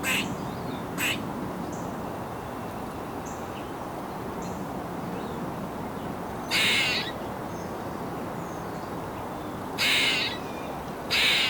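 An Eastern gray squirrel gives harsh, raspy squeaks in short bursts several seconds apart.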